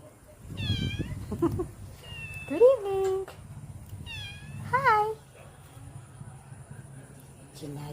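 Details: Mother cat and kitten kept as pets, evening: four meows, high and thin at first, then lower and more drawn-out bending calls, with brief human speech and a steady low hum underneath.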